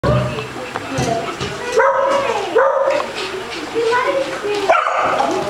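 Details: Female Basset Hound playing with a ball and getting the zoomies at a dog day care in Las Vegas, Nevada; a few loud, harmonic, slightly bending barks spaced about a second apart, over a murmur of background voices.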